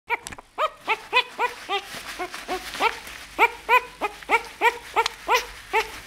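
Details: A nine-day-old bull terrier puppy gives a rapid series of high, squeaky, arched whimpers.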